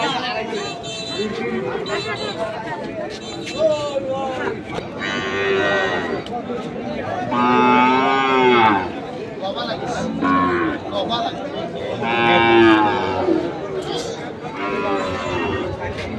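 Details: Fattened Sahiwal bull calves at Ambari cattle market, Parbatipur, Dinajpur, Bangladesh, on 14 March 2025: several drawn-out, deep moos, each rising then falling, every few seconds over a steady murmur of traders' voices and crowd chatter.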